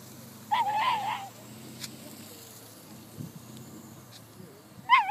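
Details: At her first lure coursing gallop, the whippet Liloo lets out a short, quavering high-pitched whine, then starts another at the end, against quiet outdoor background noise and faint voices.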